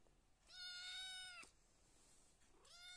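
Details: A cat, left alone to sleep while the others are outside, meows twice: a long, steady, high meow lasting about a second, then a second rising meow starting after a pause, as a woman softly coaxes it to sleep in Indonesian.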